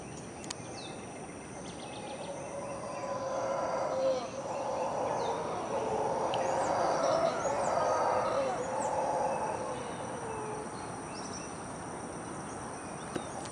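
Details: Howler monkeys at 5:00 am in the jungle, a loud early-morning chorus: a broad, roaring drone swelling through the middle of the clip and fading, with thin bird whistles and insect hiss above.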